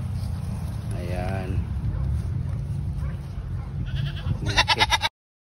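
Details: Goat giving a single wavering, quavering bleat of about half a second, followed near the end by a second harsher, pulsed bleat, over a steady low rumble and a faint high whine.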